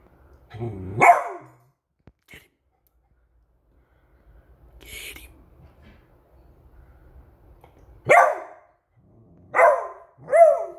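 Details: Male pet Beagle on alert at a squeaky toy, giving loud, sharp barks: one early, then three in the last three seconds roughly a second apart, with a person speaking quietly and faint rustling in between.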